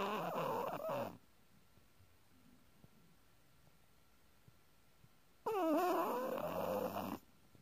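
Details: Sleeping Chihuahua snoring in two nasal, wavering bursts about four seconds apart, each lasting one to one and a half seconds, with quiet breathing pauses between them.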